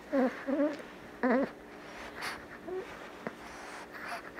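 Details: A female Boston Terrier puppy, a few months old, gives three brief, quavering whimpers in quick bursts while snuggling, rising and dipping in pitch; softer rustles follow and a person murmurs quietly near the end.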